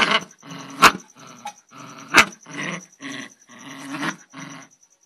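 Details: Angry dog giving a run of about eight harsh, growling barks, roughly two each second, some rough and rumbling, over a steady high-pitched electronic whine.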